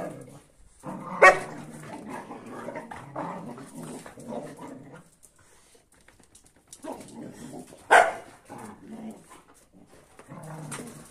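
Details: Angry dogs, a Kuvasz mad at a Boerboel and a sheepdog, finding out who's boss: two sharp, loud barks about seven seconds apart, with lower rumbling growls and scuffling between them.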